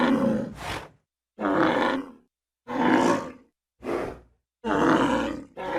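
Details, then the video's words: A bull gives hoarse, throaty bellows, each drawn-out groan followed by a sharp gasping rasp, repeated about every second and a half with short quiet gaps. "ANIMAL SOUNDS : BULL"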